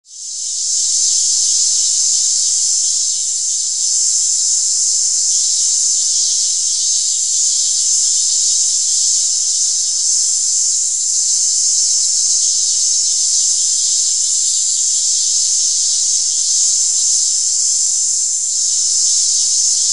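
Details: Cicada calling: a loud, continuous high-pitched shrill buzz held steady for the whole stretch, with only slight swells in intensity and no other clear sounds.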